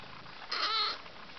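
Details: One-month-old Abyssinian kittens, indoors; a single short, clear, high-pitched meow lasting about half a second, with a strong harmonic stack, over a quiet background hiss.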